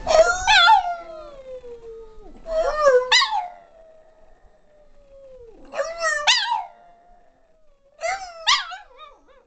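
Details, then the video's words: Female pet Boston Terrier howling along in a duet; four loud bursts of yipping howls, each trailing into a long sliding tone that falls and fades before the next outburst. "Boston Terrier [Mamas] loves to sing!"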